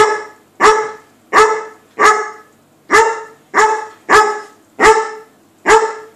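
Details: Playful Weimaraner barking at a cat on the other side of a door, a steady series of nine strong, resonant barks at a fairly even pace, under a second apart.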